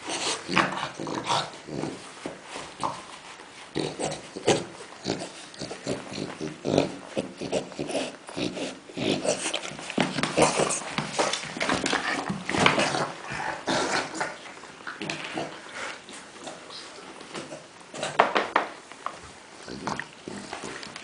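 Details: Dog at play with a heap of tennis balls, giving a long run of pig-like grunts and snuffling snorts, dense and irregular, sometimes louder bursts, indoors.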